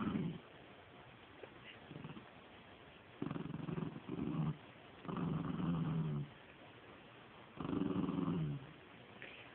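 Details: Penny, a pet dog playing with her stuffed toy, gives low rumbling growls in bursts of about one to one and a half seconds, separated by short pauses, with faint squeaky tones over the rumble.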